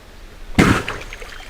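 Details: Moose sneezing in hot weather to expel annoying insects from its nose: a single sudden, explosive burst of breathy noise with a deep low thump, fading quickly over a quiet outdoor background.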